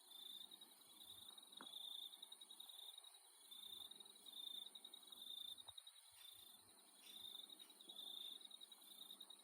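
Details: An Australian nighttime insect chorus: dense, steady, high, shimmering trills layered at several pitches, with a faint pulse.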